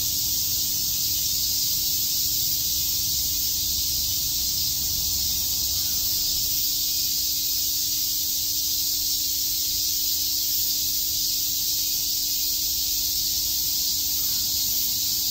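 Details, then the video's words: Summer day at Shakujii Park in Tokyo, where many cicadas chirp together in an unbroken, high sizzling wash of sound, with a constant faint low drone in the background. "Cicada chirps"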